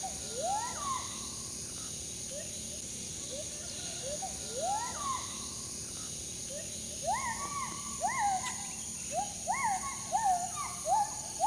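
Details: Forest monkey calling in the morning right in front of a house, a sound the residents found frightening; loud rising, arching whooped notes repeat in bursts, several voices overlapping and building toward the end, over a steady high background hiss.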